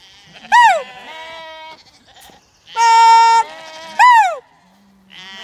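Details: Zwartbles ewes and lambs on an Irish farm in County Kilkenny during melting heat, being brought in for a buyer; loud sharp bleats that rise then fall steeply, alternating with a steady flat-pitched bleat and fainter overlapping calls.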